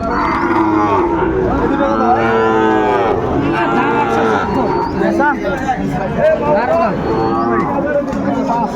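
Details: Six-month-old Sahiwal bull calves at Ambari cattle market, Chattogram, Bangladesh, 31 January 2025: strong, sustained moos, one after another, some bending in pitch, over a low background hum of crowd voices.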